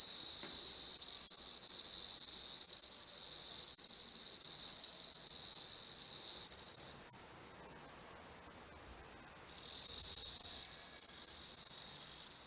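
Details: Ringing chirps of a bell cricket recorded at close range with a macro lens: a continuous, pure, high-pitched trill that stops for about two seconds, then starts again just as loud.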